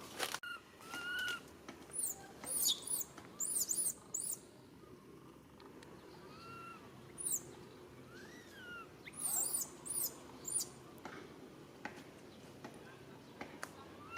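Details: Baby monkey calling its mother for help: bursts of three to five shrill arching squeals separated by short silences, plus softer mid-pitched rising and falling whines.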